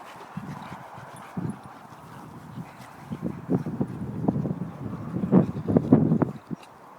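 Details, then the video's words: Two boxer dogs, Roxy and her brother Toby, play-fighting; low rough growls and grunts come in irregular bursts, growing louder and denser toward the end, with scuffling between them. "boxer dogs fighting"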